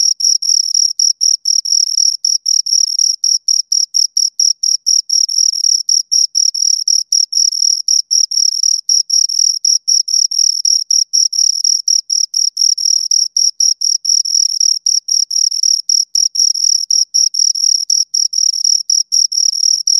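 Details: Two crickets chirping steadily for two hours, close-up: a high, pure tone pulsed in rapid bursts about four per second, with a faint higher overtone, continuous and unbroken, no other sounds.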